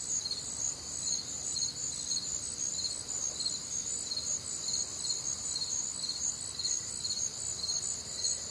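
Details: Crickets chirping through a humid, warm Midwestern summer night, high bright pulses repeating around twice a second over a constant ringing trill, many insects overlapping, slightly uneven rhythm, other nocturnal sounds faint underneath.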